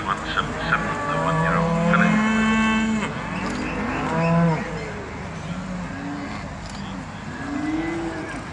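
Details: Charolais cattle at the agricultural show at South Inch Park in Perth, Perthshire, Scotland, give deep, steady moos lasting about a second each, several in a row. Crowd chatter and a steady outdoor hum fill the background.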